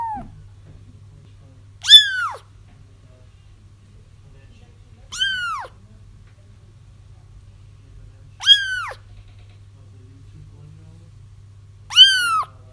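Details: Kittens crying, a recording meant to lure a feral mother cat into a trap once her kittens are found; four high, arching harmonic mews spaced about three seconds apart over a faint steady low hum.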